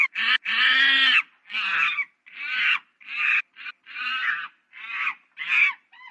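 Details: Monkey uttering a steady string of harsh, nasal, buzzy cries, each about half a second long, repeated roughly every half-second with brief pauses between.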